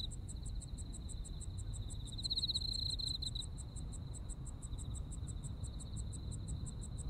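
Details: Autumn insect chorus from Japan: an even, high trill with a single stronger, pulsing burst of about a second, regular rapid ticking above it, and constant low rumble beneath.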